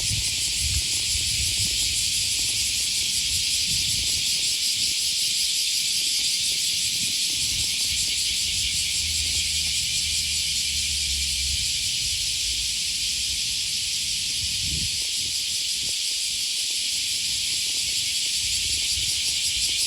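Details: Cicadas in full chorus on an August 2020 morning along the Okawa River near Sakuranomiya Park, Osaka, Japan: a dense, steady high buzzing with a faint pulsing texture throughout, over low city rumble and footsteps.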